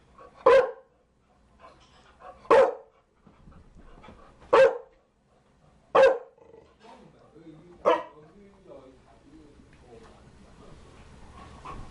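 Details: Chow Chow dog barking steadily, five loud, clipped barks about two seconds apart, followed by several seconds of low murmuring sounds in the background.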